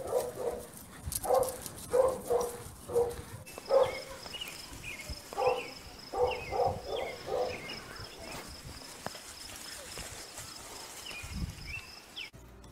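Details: Dog barking in a series of short, sharp barks, about a dozen in the first eight seconds, some in quick pairs, then quieter stretches with faint higher-pitched sounds and background noise.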